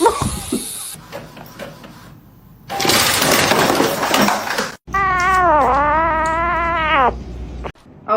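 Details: Domestic cat giving a long, low, wavering meow lasting about two seconds, drawn out and slightly yowling, preceded by loud noisy clatter, speech and music in the background.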